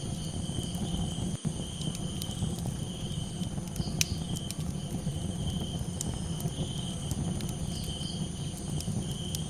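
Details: Crickets at night with campfire crackles: a sustained, shrill, even trill running without pause, and occasional faint higher warbles. Heavy low rumbling fire noise underneath, with a sudden knock early on and scattered sharp pops.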